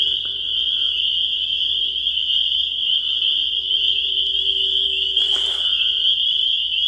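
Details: Spring peepers sounding in full chorus, a bright, piercing and steady high-pitched ring from many overlapping peeps, with a short burst of hiss near the end.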